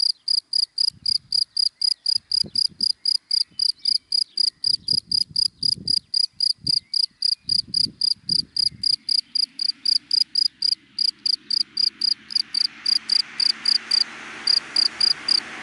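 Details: Cricket in dry daytime grass chirping in rapid, regular high pulses, about four a second, as low traffic thumps sound and a passing car swells into a broad whoosh toward the end.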